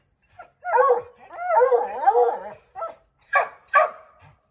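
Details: Redbone Coonhounds treeing a chipmunk in an oak tree; a long, quavering, overlapping howl of several dogs lasts about two seconds, followed by a few short loud barks.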